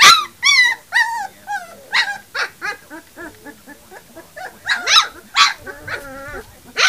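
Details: Three-week-old puppies yip and whine rapidly, short bright squeals tumbling over one another, some rising then falling, with softer whimpers in between.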